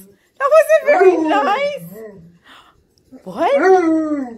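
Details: Pet Alaskan Malamute indoors 'talking', teasing a Husky housemate: a drawn-out, wavering, rising-and-falling howl-like yodel lasting about two seconds, a short pause, then another rising, moaning vocalization.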